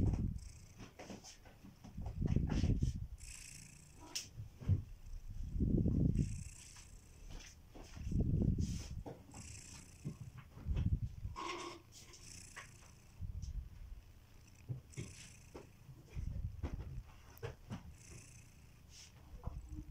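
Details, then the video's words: Kitiboy, a domestic pet cat, snoring while asleep indoors: deep, low rumbling breaths swelling and fading roughly every two and a half seconds, each snore a soft rough surge followed by a quieter pause. "Kittyboy: The snoring cat"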